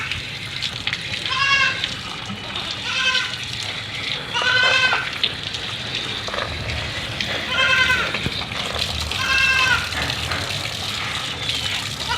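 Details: White Persian kitten in the shower in Gujranwala, giving five loud, high, harmonic-rich meows spaced about every one and a half to three seconds over steady rushing shower water.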